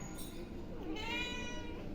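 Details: Hungry domestic cat meowing while a person asks whether it wants to eat; a harmonic meow begins near one second and holds steady, preceded by a short faint call and low room rumble.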